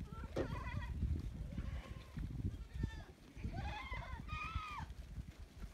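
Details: Domestic goats on a farm, returning from grazing and counted as they come in: wavering, nasal bleats, one early and a longer, quavering pair later, over low trampling hooves and rumbling movement.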